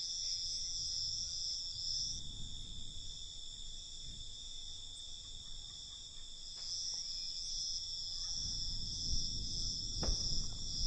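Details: Nighttime cricket chorus, a constant shrill high trill with fast pulsing, accompanied by low rumbling noise and a single sharp click near the end.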